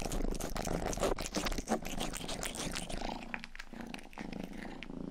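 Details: Rangi, the youngest pet cat, purring and licking close to the ear for an ASMR sleep recording indoors; dense pulsing low rumble with crackly wet licking clicks, loud for three seconds, then softer.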